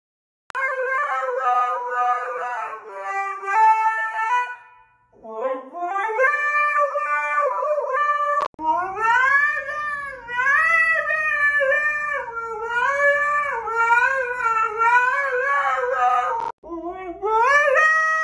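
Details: Husky song made of rising, sliding, then wobbling drawn-out howls in several long phrases, over a faint low hum, with a short gap near the fifth second.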